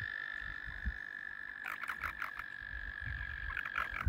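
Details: Around a kayak, crowds of mating frogs hold a steady high trill while bursts of sharper, clicking croaks break in partway through, with low watery thumps below.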